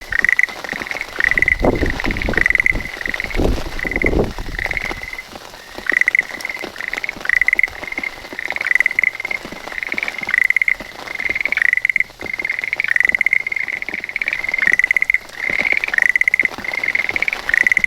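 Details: Schlegel's green tree frog calling from a calla lily leaf as rain begins, filmed on a smartphone; short rattling, pulsed croaks repeated roughly every second in a long series, with some rumbling noise early on.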